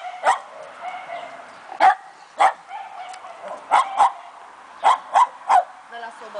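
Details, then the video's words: Two-month-old Fox Terrier puppy Keno yipping in sharp, high, clipped barks, single or in quick pairs, spaced by short gaps, while a person's voice speaks Romanian nearby. "Fox Terrier Puppy"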